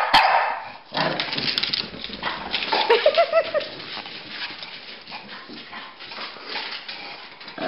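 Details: During a playful chase between a Pekingese and a Bulldog, a loud bark opens, then rough growling and scuffling continue, with a short whine near the middle and steady noisy movement sounds.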